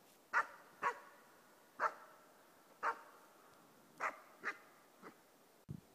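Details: A 4-month-old East Siberian Laika gives her first bay at a moose while hunting, sharp barks repeated about every half second to second.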